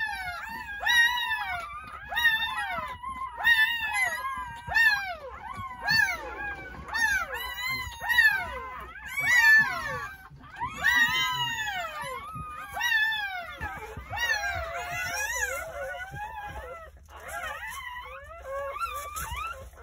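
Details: Freshly born Jindo puppies, a litter of nine delivered on New Year's Day morning at a rural house, keep up insistent high whimpers and squeals, arched and falling, overlapping steadily throughout with brief softer pauses.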